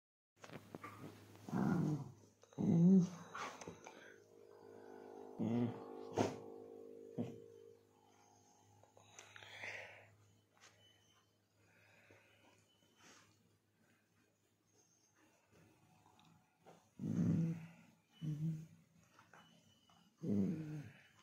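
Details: A Labrador Retriever playing gives short, low rumbling growls in bursts, a cluster early on and another run near the end, separated by quiet stretches with faint indoor shuffling.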